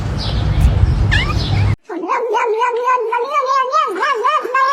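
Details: Cat giving a drawn-out, wavering yowl that rises and falls in pitch for about three seconds, following a loud burst of noisy, rustling sound.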